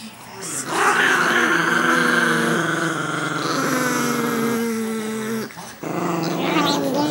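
Chihuahuas give long, drawn-out, wavering growls that slide between pitches, with only a short pause.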